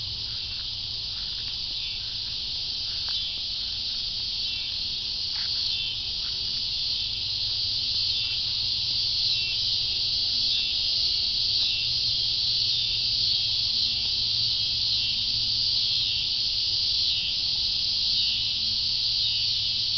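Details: Steady high buzzing of cicadas, a continuous shrill drone with a slightly pulsing, shimmering texture on top that grows a little louder over the stretch; faint low rumble beneath.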